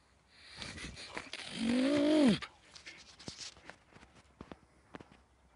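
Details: A Leonberger dog gives one short tonal whine, a harmonic cry that rises slightly and then falls away over under a second, with soft rustling and scattered clicks around it indoors.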